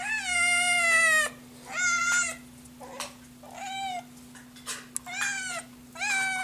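A Scottish Fold kitten calls for food with urgent, high meows. One long drawn-out wail is followed by a series of shorter, rising and falling cries, against a steady low hum.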